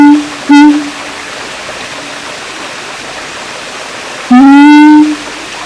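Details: Siamang recorded at Taman Kyai Langgeng in Magelang, Indonesia, giving a brief hoot, then a long quiet pause before one strong rising whoop near the end, pure-toned and rich in overtones.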